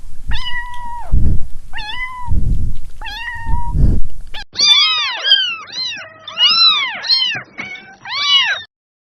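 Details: A cat whose calls are likened to laughter gives three drawn-out meows over soft low thumping. A rapid, bouncing series of arched, chattering calls follows and continues for several seconds.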